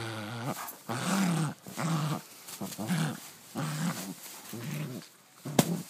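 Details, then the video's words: Pet dog indoors absorbed in play with its new toy, uttering gremlin-like growly moans: six short wavering bursts roughly every second, each rising then falling, with a sharp click near the end. "My dog making out with his new toy sounds like a gremlin"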